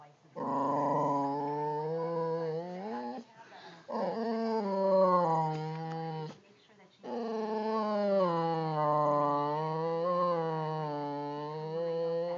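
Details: Boxer dogs contesting a wiffle ball produce three bouts of drawn-out, grumbling growls with whiny, rising and falling tones, separated by brief quiet gaps.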